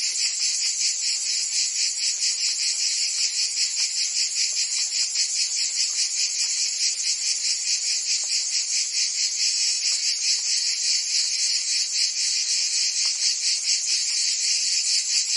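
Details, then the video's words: A wall of summer cicada song in Provence, France, sizzling and high, its pulsing rhythm steady for the whole stretch, with faint scattered ticks in the background. "Cicadas singing in France (Provence)"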